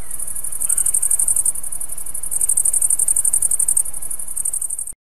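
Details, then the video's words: Song of a green, tailed grasshopper: rapid high-pitched pulsed stridulation in long buzzing trains, a short break near one and a half seconds, then continuous chirring that fades and stops abruptly near the end. "Песни кузнечиков - хвостатого и зелёного."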